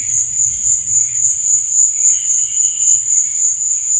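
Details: Continuous shrill cricket trilling at night, pulsing evenly and very high, over faint lower hums and a soft background rumble.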